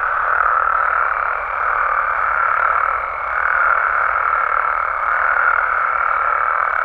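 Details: Nighttime chorus of Mexican frogs and toads: many overlapping croaking voices merge into a continuous droning wall of sound, with brief dips in loudness around the middle.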